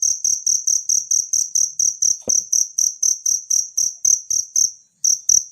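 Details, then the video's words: A natural cricket recorded for teaching songbirds keeps up rapid, piercing high chirps, about three to four each second. They are broken by a single sharp click midway and a brief pause near the end. "suara jangkrik alam"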